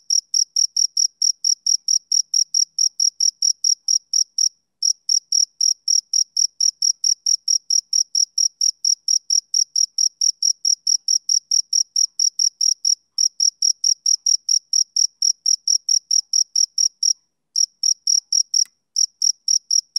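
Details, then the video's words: Male cricket chirping on a summer evening: high, pulsed chirps about four per second in a steady run, broken by short pauses near 4.5, 13 and 17 seconds, with no other sounds. "Cricket Chirping Sound Effect"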